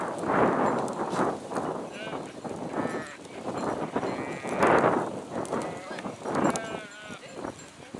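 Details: Sheep in a flock giving several short wavering bleats amid loud bursts of shuffling, hoof clatter and broadband rustling noise, calls partly overlapping from different animals.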